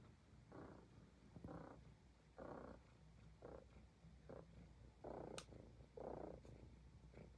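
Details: Highland Lynx cat purring while grooming itself, a low rumbling purr in soft rhythmic pulses about once per second, each swelling and fading, with a faint higher click near the fifth second.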